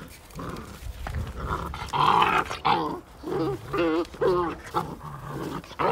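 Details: Rival Belgian Malinois puppies, fifty days old, fight over a toy with a run of wavering, moaning growls in short bursts about every second, some rising into whiny tones, over rustling and scrabbling.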